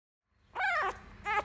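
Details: Miniature Schnauzer puppy named Fantom, a male, having a fit while being carried: two high whining yelps, the first longer and wavering, the second short, indoors.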